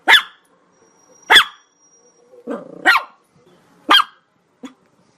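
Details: Chihuahua yapping: four loud, piercing barks spaced about a second apart, a rough, rattling growl-like sound before the third, and a brief soft yip at the end.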